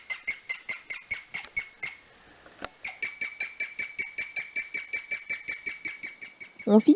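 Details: A guinea pig "sings": a long run of high, bird-like tonal chirps repeated several times a second. Its meaning is unknown, only a minority of guinea pigs do it, and the animal stays frozen while singing.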